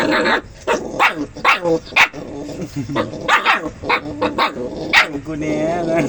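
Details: Dog barking so fiercely it was taken for dogs biting each other; harsh, sharp barks burst out in quick succession, roughly twice a second, while a person talks over them.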